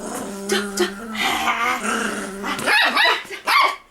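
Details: Toy poodle Da-Ji during a play session at home: a low, steady rumbling growl holds for about two and a half seconds, then breaks into a few sharp, higher yips and barks.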